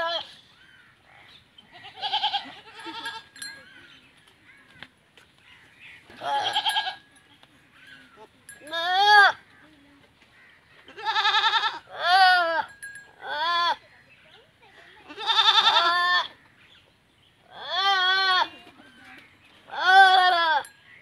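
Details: Teddy goats mating for the first time in a village in Punjab, Pakistan; a series of about eight loud, wavering, harmonic bleats come every two to three seconds, with quieter bleats between them.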